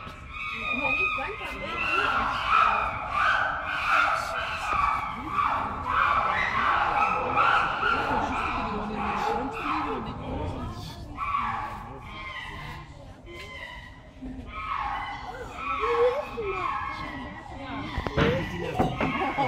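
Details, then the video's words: Several angry chimpanzees running around their enclosure at Antwerp Zoo, Belgium, produce a dense chorus of overlapping harsh screams and hoots that swell and fade in rapid, irregular bursts, with occasional sharp thuds. "Angry Chimps"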